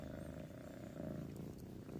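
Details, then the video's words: Saint, a domestic kitten soon to be adopted with his sister Pom, purrs while having his belly petted; a steady low rumbling purr runs through the whole stretch, quiet and continuous. "He'll just start purring, but I think you can hear him purring because I'm petting his belly."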